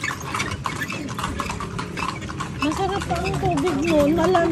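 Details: Horse hooves clip-clopping as riders tour Vigan on horseback: quick, steady clopping of roughly three strikes per second, with a person talking over the second half.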